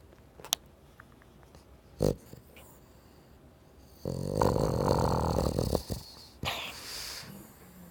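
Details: Boston Terrier PeiWei asleep, producing one long, loud, gravelly snore lasting nearly two seconds after some light clicks and taps, then a quieter breathy rasp in a small room.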